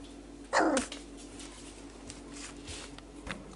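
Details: Four-week-old male Whippet puppy trying out his voice: a single sharp yelp that sweeps steeply down from high to low, followed by soft room noise and faint rustling.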